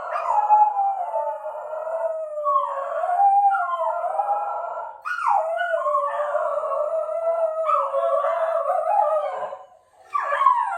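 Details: Howling pet Shetland Sheepdog, which reportedly sneezes every time before it howls: continuous mournful wavering howls, each long phrase bending up then sagging, broken by short breaths near five and ten seconds.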